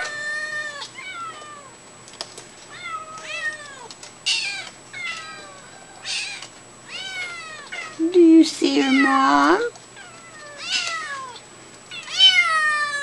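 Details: Several kittens calling for their mother indoors, producing a rapid chorus of short, high, downward-sliding meows, many overlapping, with a woman's voice breaking in near the middle.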